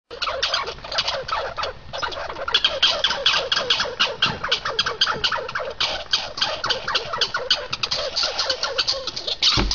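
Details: Squirrels fighting, giving rapid, harsh chattering calls in dense repeated bursts that run almost without pause, a scratchy squawking rattle that rises and falls in loudness throughout.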